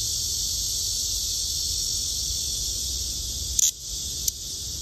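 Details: Steady, piercing buzz of a blackish cicada runs continuously, broken near the end by a sharp knock and a second click, after which the drone dips briefly before resuming.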